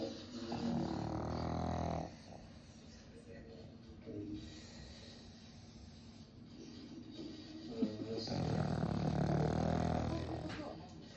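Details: A 3-year-old pug in deep sleep snores loudly, with two long, rumbling, rattly breaths separated by a quiet pause.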